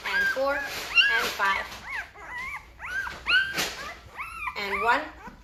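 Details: Five-day-old Great Bernese puppies, a litter from Great Pyrenees mother Lacey and Bernese Mountain Dog father Castle, getting noisy: overlapping high, arching whines and squeals from several pups, rising and falling in quick succession.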